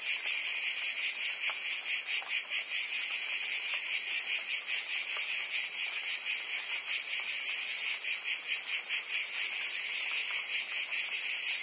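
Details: Cicadas singing on a summer day in Provence, France: an intense high metallic buzzing chorus, pulsing rapidly and continuing without any break, many insects overlapping.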